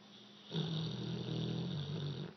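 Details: American Bulldog named Leo, a three-year-old male, snoring while asleep indoors; a steady low rasping drone with a strong buzzy hum, sustained for about two seconds after a quiet start.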